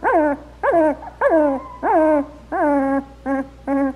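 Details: Two-week-old black Labrador Retriever puppies, just starting to walk and open their eyes, give seven high whines. Each whine rises sharply and then slides down into a held tone, coming about every half second over a faint steady low hum.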